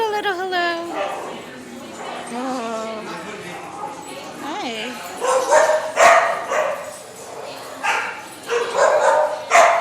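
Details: Puppy at playtime, greeted by a person talking warmly, gives short sharp barks in the second half, several close together, over continuous affectionate human speech.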